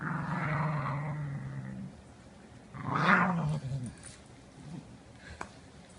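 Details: Dog growling on cue to sound like a revving motorcycle: a low, rumbling, steady growl for about two seconds, then a brief rising burst near three seconds, fading into quiet room noise.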